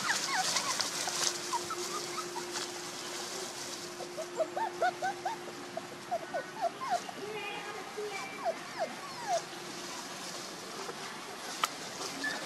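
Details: Puppies one month and two days old give a run of short, high, rising squeaks, scattered irregularly across the recording, with a steady low hum and faint background hiss underneath.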